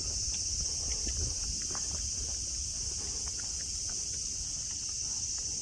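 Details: Sunny Nara Park in Japan with tame deer on the lawn: cicadas keep up a continuous high, hissing drone, accompanied by faint irregular taps and rustles close by.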